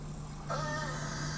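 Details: In the Canadian Arctic, a beluga gives a contact call, used when isolated from the group and linking mothers and calves: a sudden nasal, harmonic tone over a steady low hum, with a thin high whine, and a reply follows.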